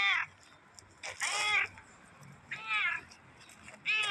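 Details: Black cat, possibly a stray, making short high-pitched meows, four calls about every 1.3 seconds, each a quick rising-then-falling squeak, with a quiet background between them.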